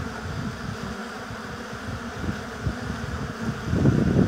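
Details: Apiary hive with honey bees: a low, wavering swarm hum throughout, swelling into a louder, rougher buzz in the last second as a bee flies right up to the microphone.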